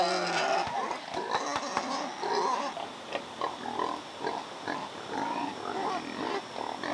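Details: Captive wild boar sows in Vietnam with a nest made for farrowing. Rough grunting and short squeals come in choppy bursts, with sharp clicks early on and a steady background hiss.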